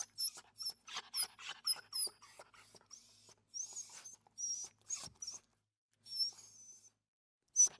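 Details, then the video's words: Small dog giving rapid, high-pitched squeaky whimpers, first tightly packed, then longer drawn-out whines with pauses, ending in a sudden sharp squeak. "Small Dog Wimper"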